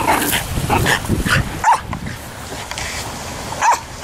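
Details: Luna, a Jack Russell Terrier, playing on a beach and in a canoe on the Coghinas river in Sardinia, gives two short, sharp barks about two seconds apart after a rumbling, noisy opening with a woman's voice.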